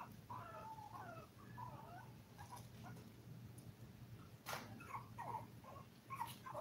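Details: Toy Poodle puppies, five weeks old and seven in the litter, give thin whining whimpers that slide up and down in pitch, drawn-out and wavering, with a sharp clatter midway and a constant low hum behind.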